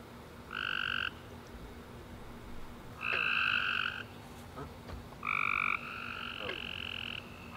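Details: Tree frogs chirping at night after a warm rainy summer day, three loud buzzy trills about a second long with stacked harmonics, separated by gaps, over a soft steady hum of distant callers.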